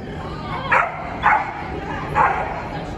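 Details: Corgi at a New Year event in an indoor training arena on 26 December 2021: three short, high barks spaced about half a second to a second apart over constant loud background noise.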